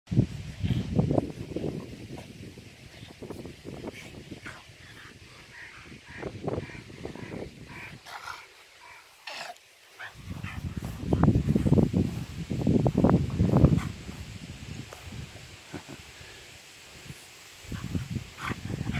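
A French bulldog makes low, rough grunts and snorting huffs in quick irregular bursts.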